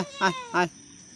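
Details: Farm sheep being given water at noon. Two short, harmonic bleats come in quick succession, then near quiet.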